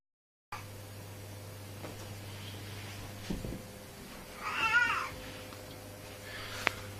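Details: Domestic cat giving a single drawn-out meow that arches up and then falls away, after a few soft faint sounds, over a steady low electrical hum in a quiet room.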